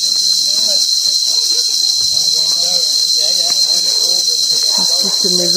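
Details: Cicadas heard clearly during a hike in the hills of Koh Samui, Thailand, on 5 March 2023; a continuous loud, high-pitched buzzing drone runs throughout, with a woman talking in French underneath.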